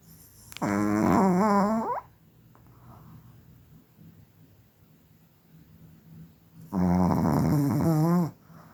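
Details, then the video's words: Chihuahua named Kira Rolexovna from Tver, a Crimean kennel graduate, snoring indoors: two long, raspy, harmonic snores about a second and a half each, separated by a quiet pause of breathing. "принцессы не храпят 🤣 чихуахуа Кира Ролексовна"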